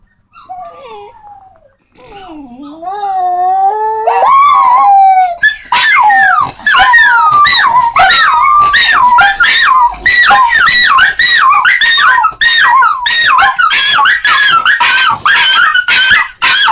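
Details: Dog howling, apparently set off by a sound played to make dogs howl: long wavering howls that slide down and up, then a loud run of rapid yelping, warbling howl notes repeated about twice a second.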